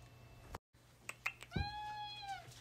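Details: Indoors, a tuxedo cat called Alfie answers its owner with a single rising-then-falling meow after a couple of soft thumps and a brief break.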